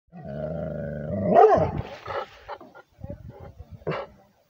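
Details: Rhodesian Ridgeback with a liver nose barking at a person: a drawn-out, harmonic, droning tone gives way to one loud, rough bark, then a few softer low bursts and a final sharp bark.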